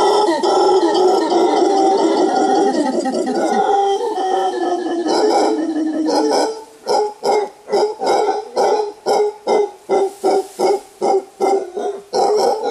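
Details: Wild mantled howler monkey alpha male roaring a warning from the bamboo forest canopy in Costa Rica; a long continuous rasping roar gives way to rapid, rhythmic guttural pulses, roughly two or three each second.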